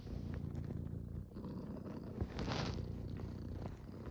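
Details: Close domestic cat purr, a low buzzing rumble with a short dip between breaths and a faint rustle near the middle.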